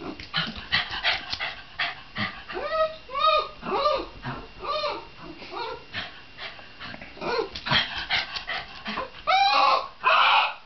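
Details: Shiba Inu producing a busy run of short yips and rising-falling whiny yelps, quick and irregular, ending in two loud harsh cries.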